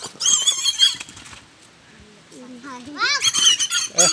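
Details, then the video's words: A plump native pig, held by people who say it likes having its neck rubbed, gives loud, shrill, wavering squeals in quick bursts at the start and end, with Tagalog speech and a quieter gap between. "native pig"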